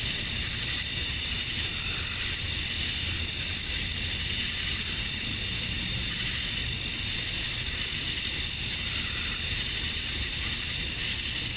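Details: A summer-night cicada chorus at dusk in Georgia, USA, the males calling to attract females, forms a shrill, constant high buzz with subtle rhythmic surges lasting the whole stretch.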